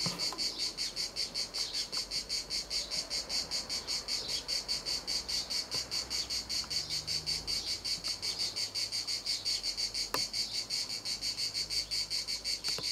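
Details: Shrill cicada song at Montcarra, a continuous metallic buzz beating in even pulses roughly 158 times a minute, with a few sharp clicks scattered through.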